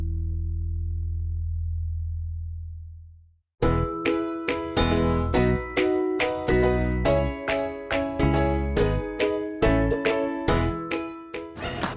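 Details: A low sustained tone fades out, then bright chiming, plucked children's-style music with repeated bell-like notes fills the rest, with no animal voice.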